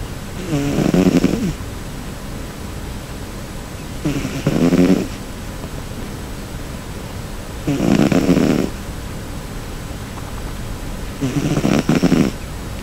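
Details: Cherry, a pet cat, snoring loudly while sleeping comfortably: four deep, rasping snore bursts, each about a second long and roughly every three to four seconds, with quiet breathing between them indoors.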